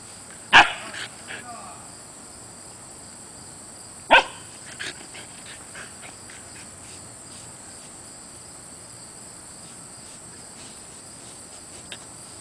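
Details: Zephyr, a 4-month-old female Siberian Husky puppy at play outdoors while teething, gives two sharp barks about three and a half seconds apart, followed by softer scuffling sounds, with constant high-pitched cricket drone behind.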